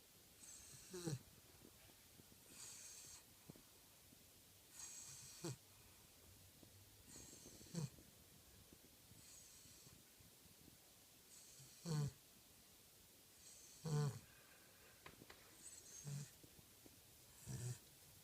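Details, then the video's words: Angus the Cavalier King Charles Spaniel snoring in his sleep: breathy, hissing inhalations alternate with short low snorts, roughly one every two seconds, unevenly spaced across the stretch, in a quiet room. "snoring Cavalier King Charles - sleeps like a human!"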